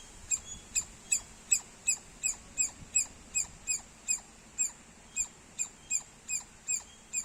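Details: Rapid squirrel chirping, bright clipped notes coming at a quick, even rate of nearly three a second over faint background hiss.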